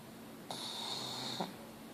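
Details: Pet pug asleep indoors, letting out a single airy, wheezing breath of about one second, hissy and thin rather than deep, followed by quiet.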